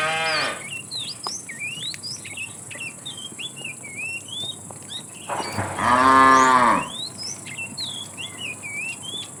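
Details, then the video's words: Afternoon, a herd of tame cows being driven along; a fat cow calls the female with one drawn-out, rich bellowing moo after the tail of an earlier one, against constant busy chirping of small birds. "The funny sound of a fat cow calling the female"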